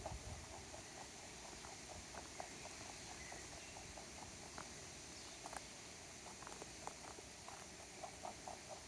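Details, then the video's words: A stray rabbit that lost its owner, visiting a backyard and eating a carrot: soft, rapid crunchy ticks of chewing repeat several times a second throughout, over a steady faint background hiss. "Sound Effect of Rabbit Eating Carrot"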